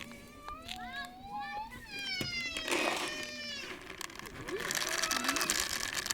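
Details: Stray cat living on a river bank alongside two puppies, giving a run of clear, tonal meows that rise and fall over the first three seconds, followed by rustling and broadband outdoor noise.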